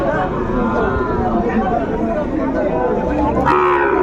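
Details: Sahiwal bull calves at a cattle market in Chattogram, Bangladesh, on 11 January 2025, where farmers buy young bulls; low, rough mooing rises through a steady murmur of market chatter and voices.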